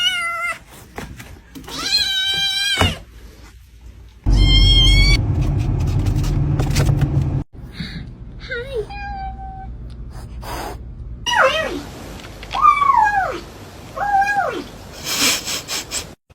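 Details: Pet cat crying with repeated drawn-out meows, some high and wavering, others short and bending down in pitch, mixed with a woman talking and a loud low rumbling noise in the middle.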